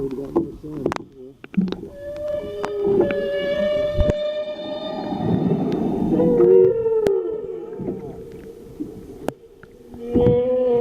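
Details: Humpback whales directly under a boat off South Maui, Hawaii, on 24 January 2013: long tonal moans, some held steady and others bending up or down, mixed with low rumbles, clicks and people's voices.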